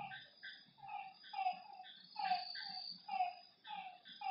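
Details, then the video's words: Night frogs at a lakeside, several callers trading brief, slightly rising nasal croaks about once a second, mixed with higher chirps and a faint continuous high drone. "Lakeside night creatures and frog sounds"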